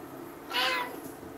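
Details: Domestic cat that only sometimes likes to cuddle, calling during a cuddle indoors: a single short, bright meow lasting about a third of a second against a quiet background.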